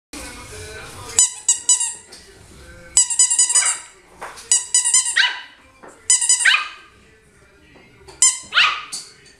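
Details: Puppies giving short, high-pitched yapping barks in quick clusters of several notes, separated by brief pauses, with human voices and faint music in the background indoors.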